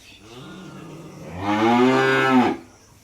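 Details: Cattle at a dairy farm; a soft, low lowing builds into a loud, rich, harmonic moo lasting about a second, then it stops abruptly. The setting is otherwise quiet.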